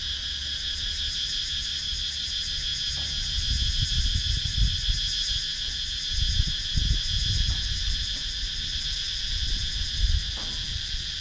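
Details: Cicadas in wooded countryside at Sakon Nakhon, Thailand, recorded on a GoPro Hero 9: a steady, dense, high shrill drone with fine rapid pulsing, over an uneven low rumble that swells at intervals.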